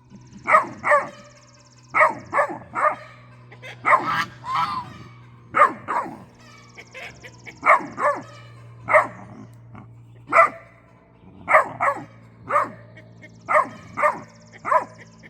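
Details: Great Dane puppy barking and grumbling at guard geese over a suspected raccoon at the bird feeder: short sharp barks in uneven pairs and runs, roughly one per second, mixed with throaty mutters and a steady low hum.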